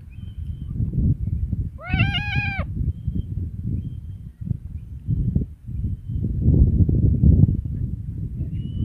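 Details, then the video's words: Domestic cat giving a single drawn-out, slightly wavering meow lasting under a second, set against a steady low rumbling background. "30 minutes of Cats' Meow"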